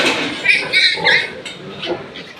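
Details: Newborn piglets on a piggery farm, from litters of fourteen and ten born overnight to two sows, give short high squeals in a few quick bursts, with a person talking nearby.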